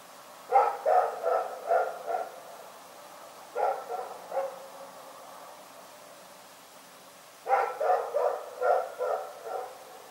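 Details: Rex, a dog, barking in the night; bursts of four to six sharp, mid-pitched barks come in three clusters a few seconds apart, with quiet gaps between.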